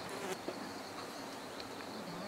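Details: A steady, dense hum of many Western honey bees (Apis mellifera) buzzing together at an organic honey bee hive in a village in Nepal.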